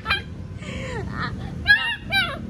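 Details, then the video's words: Alaskan Malamute puppies trying to howl like a wolf: short, yelping, arched calls that rise and fall, several in quick succession with gaps between, over low background rumble. "Alaska puppies try to howling like Wolf"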